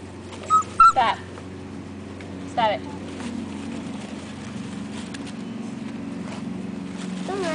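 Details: Six-week-old Akita puppies from the Penny and Slider litter, one named Rhino: a few short, high, wavering whimpers and yips near the start, then a steady low hum, with a person telling them to stop.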